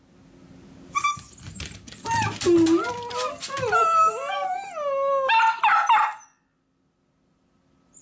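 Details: Two miniature dachshunds indoors, barking as if asking to come along while their owner leaves for work: sharp yelps run into long, wavering, high whines with bending pitch, ending abruptly in silence.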